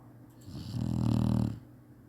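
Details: Napping Chinese Shar-Pei dog snoring indoors: one long, low rumbling snore swelling and fading over about a second, with a steady low hum underneath.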